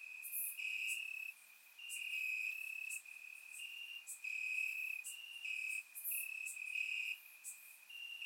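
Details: Grass crickets on a warm Bulgarian summer night produce a dense, overlapping high trill, with loud chirp bursts repeating roughly every second and slight shifts in pitch between neighbouring callers.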